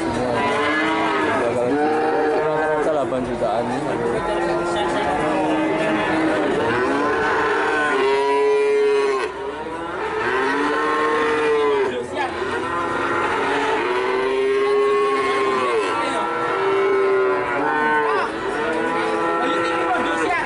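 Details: Cattle at a sale lowing repeatedly: a series of long, arched moos every couple of seconds, several clear bellows rising and falling, amid other cattle calling and crowd noise.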